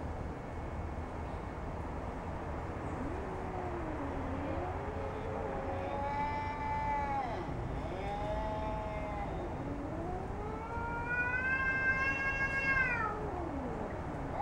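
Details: Jasper, a heavy domestic cat, threatening a neighbourhood cat: a series of low moaning growls rising into long wavering yowls, the loudest and highest near the end, over a constant low rumble.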